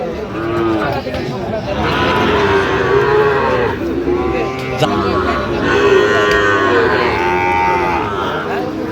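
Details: Sahiwal bull calves at a livestock market in Dhaka, Bangladesh, on 28 November: several drawn-out harmonic moos overlapping, with men bargaining over prices and crowd chatter throughout.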